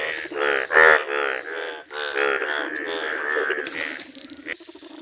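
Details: Bright yellow Indian bullfrogs in a village, several calling at once: harsh, buzzy, pulsed croaks overlap into a dense, rapid chorus, one louder nasal blast standing out near the first second.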